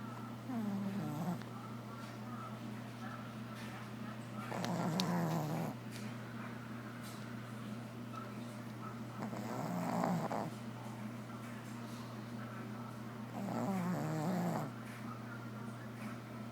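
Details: A sleeping Shih Tzu snores in a room: deep, rough breathing swells that come roughly every four to five seconds, each lasting about a second, over a steady low electrical hum.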